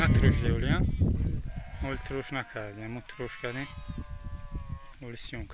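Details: Hissar sheep rams, a breed, give a series of quavering, wavering bleats with a strong harmonic buzz. Several short pulsed bleats run back to back, then one longer, steadier bleat. Voices and shuffling are heard at the start.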